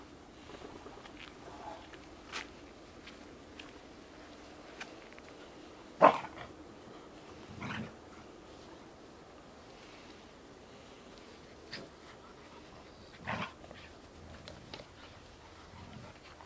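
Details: Small black-and-white Bearded Collie puppies romping in a garden at dusk with their mother Topas and with Gipsy; scattered short yelps and one sharp bark stand out over a quiet background.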